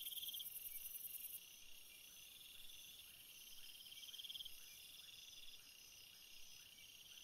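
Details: Night crickets: a high, continuous trilling chorus with stacked shrill bands and brief, faster pulsed bursts that come and go, steady throughout with no other sounds.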